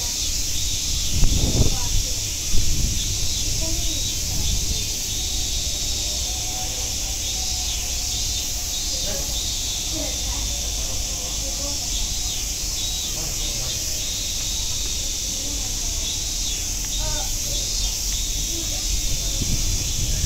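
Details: Cicadas at Nogeyama Zoo fill the air with a steady, unbroken high hissing drone that holds level throughout, while people's voices murmur and thump faintly underneath.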